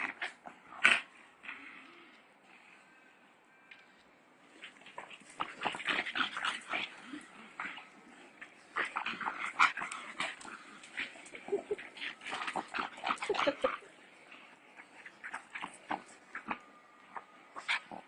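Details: Pug in a home setting giving a series of short, high-pitched whimpering and squeaky calls in bursts, with brief pauses between, and quiet background noise.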